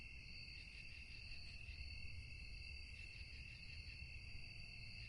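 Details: A night-time cricket chorus forms a continuous shrill ringing in several stacked tones, holding even for the whole stretch. A soft low hum and rumble fill the background.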